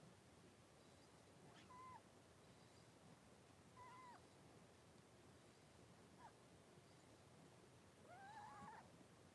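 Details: Blenheim Cavalier King Charles Spaniel puppies, a litter of five born at New Year's to Paris and Spike, in an indoor puppy pen on 26 January 2023: four thin, squeaky whimpers, the last drawn out and wavering, over soft room hiss.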